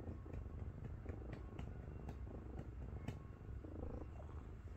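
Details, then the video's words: Miru, a 7.5 kg cat resting on its owner's belly, purrs in a deep, grainy rumble like a running engine, with several sharp clicks and light rustles breaking through. "7.5kg 고양이가 자꾸 배위에 올라와요... 숨막힘 (골골 탱크소리+폭풍애교)"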